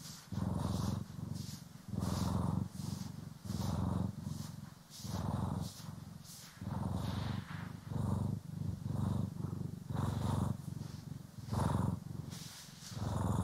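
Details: Domestic cat purring, from pet cats Poki and Kiwi, while being groomed and brushed, recorded in stereo for relaxing ASMR. Steady low rumbling purr comes in even pulses, each breath cycle swelling and fading about every one and a half seconds.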